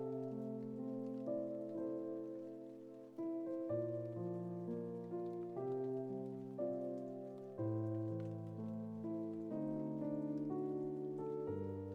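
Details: Soft piano music plays slow sustained chords over a faint patter like rain, and no cat sounds come through.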